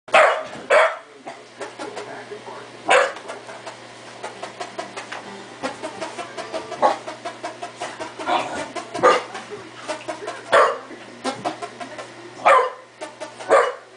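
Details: A pet dog barks in a room. Loud, sharp barks come in irregular bursts, about eight across the stretch, some paired close together. Quieter scuffles and a low steady hum fill the gaps between them.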